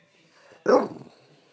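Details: French Bulldog waking its owner: a single short, loud bark in a quiet room, with a brief murmur from a person afterwards.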